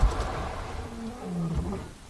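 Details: A male lion, possibly an injured male, roars from a distance while lying near a riverbed, close to an elephant reservoir on 19 September 2023. The roar is a deep, low moan rolling out in long, throaty pulses.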